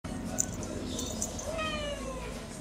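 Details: Tasha, a pet cat excited about going for a walk, gives a drawn-out meow with faint, gliding harmonics over low indoor hum, while a person tells her to calm down.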